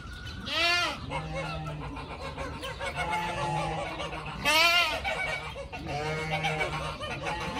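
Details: Young pygmy goats romping and chasing each other; two loud, wavering bleats about four seconds apart, rich in overtones, with a steady low hum and softer bleating between them.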